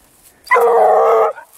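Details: Grapa, a Vallezano hunting dog following a wild boar trail, gives one loud, sustained, harmonic bay of under a second, steady and slightly falling at the end, set against quiet rural background.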